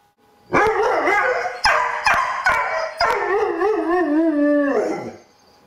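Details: One-year-old Doberman named Sirius, indoors behind a closed door, whining in frustration because he wants to greet visitors; long tonal wavering whines with rich harmonics, several drawn-out cries sliding downward, with sharp clicks between them.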